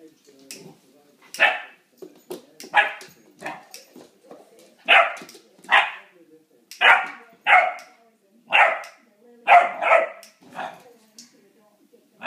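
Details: A Great Dane puppy barks at a lighter in short, sharp bursts, repeated roughly every second.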